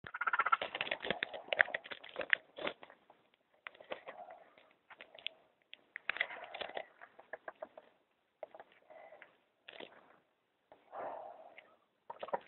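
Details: Baby raccoon kits left by their mother beneath a bathtub in California, crying for two days, later sent to Lindsey Wildlife Museum in Pleasant Hill for rehabilitation; bursts of harsh, chattering squeals and churring cries in irregular clusters separated by brief pauses.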